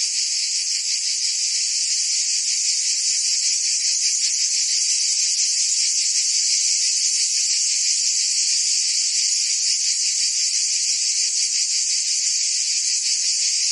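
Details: Provence summer cicadas in full song, France: steady, piercing electric buzz with quick rhythmic flutter inside the drone, level and continuous throughout, no birds or people heard.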